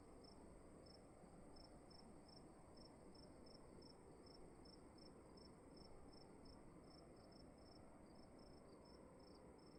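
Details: Chirping cricket indoors at night, a steady train of short high pulses about two per second, with a few doubled chirps near the end, over continuous low background noise.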